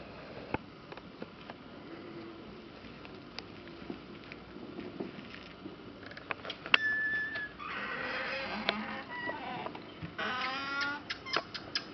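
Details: Red ruffed lemurs in their outdoor enclosure at Zoo Wrocław: after scattered knocks and clicks and a thin whistled tone, harsh, raucous pulsed bursts erupt twice, the second a rapid rasping series of repeated barks.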